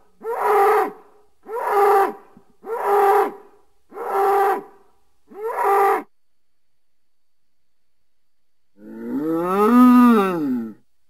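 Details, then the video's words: A bull in nature utters five short, rough grunting calls about one per second, then falls silent before a longer moo that swells up and sinks back down. "Sounds of a bull in nature"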